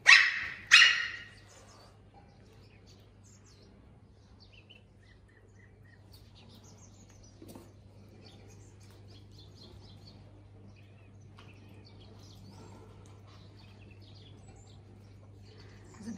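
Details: Puppy Puffyk reacting to a laser pointer, two quick loud barks at the very start, then a long near-silent stretch with faint background hum and small scattered noises.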